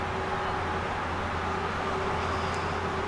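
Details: Steady vehicle and road noise with a constant low hum, and no animal calls. A broad, even rumble fills the whole stretch with no calls standing out.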